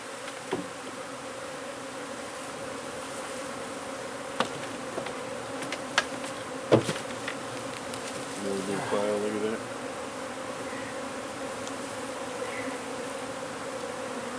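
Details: Honey bee hive under a wood pile in McAllen, Texas, humming steadily as it is taken out; sharp clicks and knocks of tools punctuate the drone, and a short wavering tone appears near the end.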